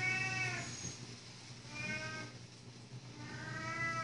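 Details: Three clear cat meows, each a rising-then-falling wail about a second and a half apart, over a faint background hum.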